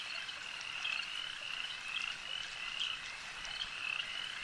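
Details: Chorus of frogs at a lake, a continuous high shimmer of many overlapping trills with brief sharper chirps popping out every second or so, steady in loudness throughout.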